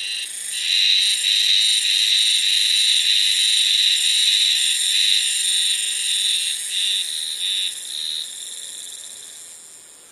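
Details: Cicada heard in early summer, singing only in one place: a loud, steady, high-pitched whirring drone with faint rhythmic pulsing, breaking into short throbs and fading out over the last seconds.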